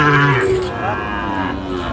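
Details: Sahiwal bull at a cattle market where a farmer from Natore, Bangladesh, is buying, 2 February 2025: a short, deep, steady moo at the start, then the busy murmur of the market and nearby voices.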